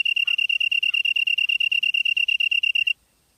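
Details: Insect recorded in Gyeonggi-do, Korea at 7:59 PM in September 2016; about three seconds of high, sharp pulsed chirping, roughly eight pulses per second, ends abruptly in silence.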